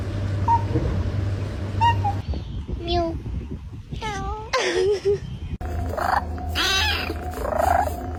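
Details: Domestic cat making odd vocal sounds indoors: several short wavering harmonic meows and squeaky calls in the middle and latter half, over a steady low hum, with a brief human voice at the start.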